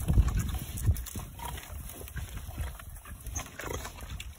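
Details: Angry pigs chasing a person for oranges, trying to eat a hand; deep, rough grunting in quick irregular bursts under rustling, handling noise and wind, with a person saying no just before and after.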